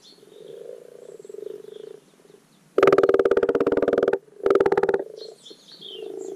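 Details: Garden wildlife pond in spring where common frogs give their spawning call: a soft, murmuring chorus broken by two loud, buzzing, pulsed croaks lasting over a second and half a second, with faint birdsong in the background.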